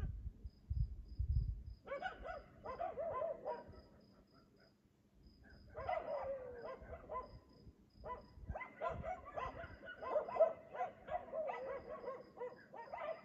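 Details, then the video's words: Dog barking at 3 AM in Aliseda (Los Galaperos) while its owners sleep, a nightly occurrence: bursts of rapid, harsh barks in two main volleys with a pause between, over steady high insect chirps and low rumbling noise. "Ladridos de perro a las 3 AM TODAS LAS PUTAS NOCHES EN ALISEDA (LOS GALAPEROS)sus dueños duermen!"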